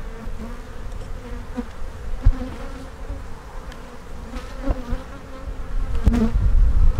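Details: Dense low hum of honey bees from an open hive during an inspection for queen cells, steady droning tone with sharp clicks and bumps of frame handling, swelling louder toward the end.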